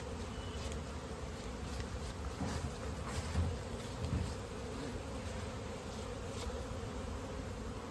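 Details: Continuous deep hum of many honey bees at a village bee farm in India during natural honey harvesting, with occasional soft thuds and brief rustling bursts.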